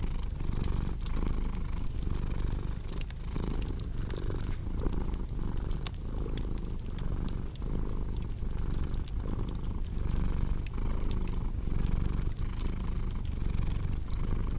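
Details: Low vibrating purr of a cat pulsing roughly every second, mixed with frequent crisp pops and crackling from a fireplace.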